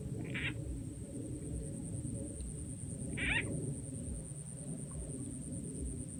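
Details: Frog calling in Rizal N.E. while frogs are being caught with a played frog sound effect; two short, bright calls about three seconds apart over a steady low rumble and a thin high hum.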